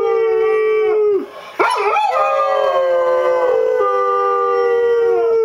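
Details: Buddy, a pet dog, howls in long sustained tones that dip sharply near the middle, then rise and hold steady again, with layered overtones suggesting several voices joining in.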